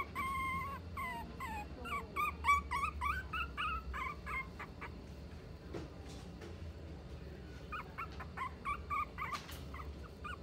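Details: Mixed-breed dog in a Nagano pet shop gives rapid bursts of thin, high whimpers for about four seconds, falls quiet amid soft clicks and handling noise, then resumes shorter whining yelps near the end over a low background hum.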